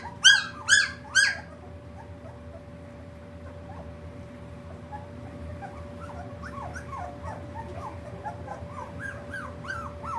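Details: Three-week-old puppies: three loud, sharp yelps at the start, then a litter of several pups keeps up soft, rising whimpers and squeaks, with a steady electrical hum in the background.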